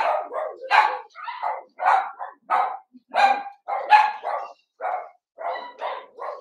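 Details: Three Ruby and Blenheim Cavalier King Charles Spaniel puppies at night on 8/27, barking and yipping: uneven bursts of high, clipped barks, some paired, with a soft low whimper in between.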